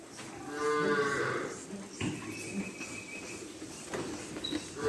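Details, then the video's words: Single cow on a farm giving one full, harmonic moo lasting about a second, followed by a thin steady tone and quieter farm noise. "Cow farm"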